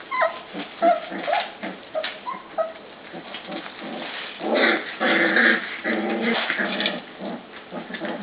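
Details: Pups in a pen by their kennel after sleeping outside all day, two of them squabbling; irregular growls, whimpers and short yips, louder in the second half.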